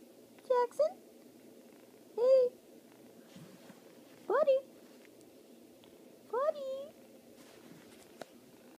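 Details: Jackson, a pet cat, meows indoors in four short, fairly quiet calls spaced about two seconds apart, each with a rising then falling tone, over a steady low background hum.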